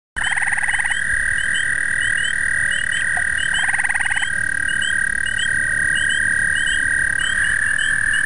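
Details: During the breeding season, an overly amorous American toad that tries amplexus with anything gives a long, steady, high musical trill, with brief lower pulsed bursts breaking in twice.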